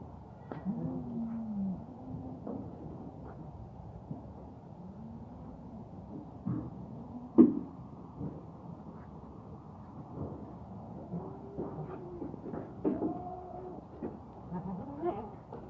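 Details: Herd of thirteen goats with their buck at Al-Arfa, Taif, several overlapping low, wavering bleats rising and falling through the recording, with soft thuds and rustling between calls.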